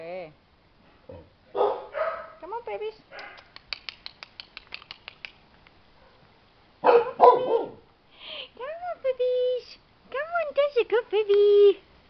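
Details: Chow Chow puppies, 25 days old, outside for the very first time: high, thin whines and squeaky yelps with rising-falling tones, rapid clicking sounds in between, and a woman speaking softly to them.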